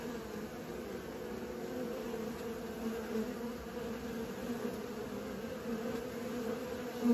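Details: Honey bees learning to fly produce an even, sustained buzzing drone with stacked low harmonics, gently rising and falling in loudness, with a louder close pass at the very end.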